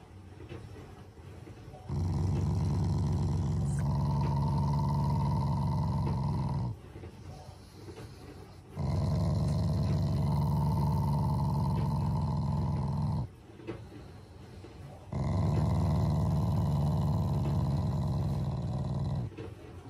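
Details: A pet Shiba Inu growls to show affection toward its owners, not anger. It gives three long, low, rumbling growls of about five seconds each, with short quiet pauses between them.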